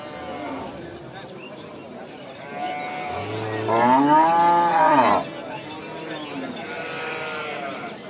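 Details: One long, rising and falling cow moo, rich in harmonics, lasts about two seconds mid-recording. Quieter, fainter lowing and a murmur of background noise come before and after it.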